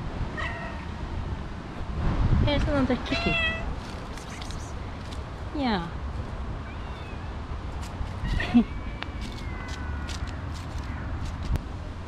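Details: A stray mother cat and her two kittens meow repeatedly: a brief meow at the start, a louder run of wavering meows around the third second, then a long falling cry, with a person talking gently over steady background rumble.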